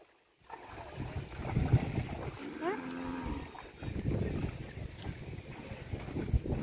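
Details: Kankrej cow, a desi breed, at a canal in the evening while drinking water, in Rajasthan; one short harmonic moo with a rising start in mid-clip, over low rumbling noise and faint voices.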